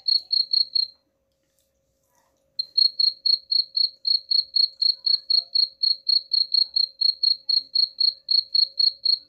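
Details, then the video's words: Chirping cricket used as a rat deterrent: a few quick high pulses, a pause of about one and a half seconds, then a long unbroken series of chirps at about four per second. "suara jangkrik pengusir tikus ampuh"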